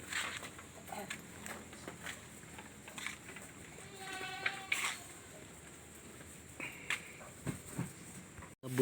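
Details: Goat on a farm with a newborn kid, giving a short quavering bleat in the middle, surrounded by people talking outdoors and scattered knocks and rustles.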